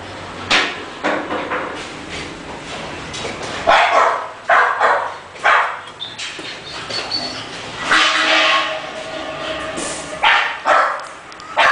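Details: An English bulldog gives a long run of sharp, loud barks, some in quick pairs and some spaced a second or more apart, with brief quieter yips between the bursts and faint speech in the background.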